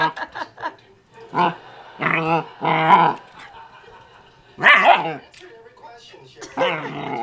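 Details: A 12-week-old German Shepherd Husky mix puppy barks while playing with a porkhide roll; several short yips early, then loud harmonic barks and a drawn-out whine-like bark in irregular bursts, with a person's voice between.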